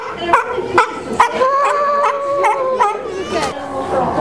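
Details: {'caption': 'Captive sea lions at SeaWorld give a series of short, harsh barks, about two per second, over steady background chatter from people.'}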